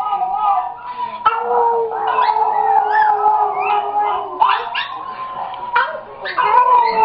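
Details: A pet dog cries on hearing a recording of itself crying; long wavering howls with overtones and short yelps, the dog's own recorded cries mixed in.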